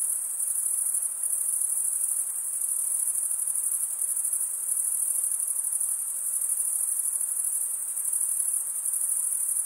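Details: Male crickets chirp by rubbing their wings together, making a continuous high, thin ringing trill. The tone stays even and dense from start to finish, and no other sounds can be heard.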